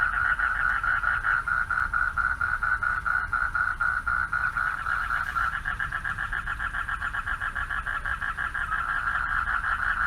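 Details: Mate-calling male frogs heard at night from a pond along a dark walkway: a long steady trill runs through the first half, then several callers alternate in pulsing bursts, over low ambient hum.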